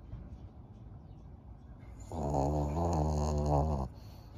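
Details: A single loud, buzzing, rattling snore of nearly two seconds from Maria, an elderly 12-year-old fawn female pug kept as a pet in Japan, filmed in May 2023, rising out of a quiet indoor background.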